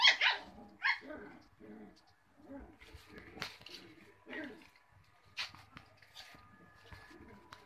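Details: Young Cocker Spaniel puppies giving a few sharp, high yelps in the first seconds, then softer, scattered whimpers and cries that trail off toward the end.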